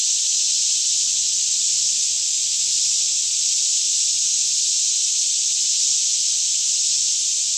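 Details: Many cicadas sing together in a green forest near Franklin, Kentucky, around 10am on a still morning, captured in stereo with a Canon 5D Mk2; the sound is a dense, constant high-pitched sizzle with no pauses or variation.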